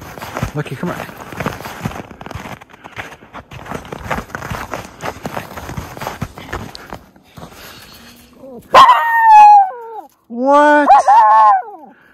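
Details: Miniature Schnauzer brothers Lucky and Levi romping through deep snow tunnels in Aroostook County, Maine, on January 22, 2023, after two weeks of snowy weather. Crunching footsteps in snow, then two loud, drawn-out, high barking yelps, each about a second long.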